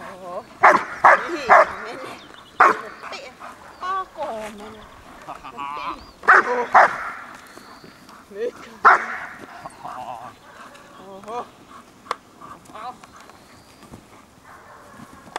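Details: Horna, a German Shepherd, barks while biting a training sleeve for the first time. Short clusters of sharp barks are scattered among lots of human talk, with some whining between the bursts.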